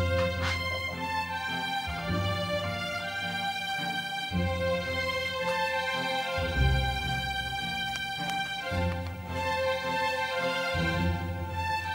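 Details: Instrumental background music plays throughout with no animal sound.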